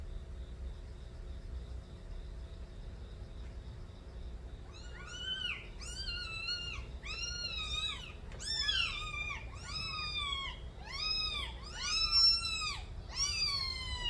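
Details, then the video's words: Several young street kittens crying as they smell their mother and wait for milk. After a quiet start, loud arching meows follow one another quickly, often overlapping, each rising then falling, in a steady bout to the end. "새끼고양이들의 우렁찬 울음소리"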